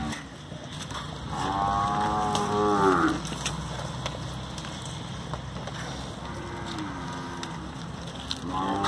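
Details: Nelore cattle at a live auction in Araçatuba, São Paulo, evening of 22 September 2020, lot of 25 young bulls; one loud drawn-out moo bending downward, then two softer moos, with steady background rumble and clatter.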